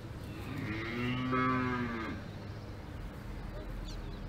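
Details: A single cow lows on an Alpine farm, a mid-loud, steady, harmonic moo lasting under two seconds that fades out, followed by low rumbling outdoor background noise.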